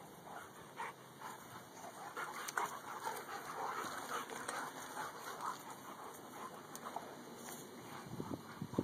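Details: Dakotah, a white dog, with his best friend Kobi; fast irregular breathy panting with soft whining tones mixed in, and a few sharper noises near the end.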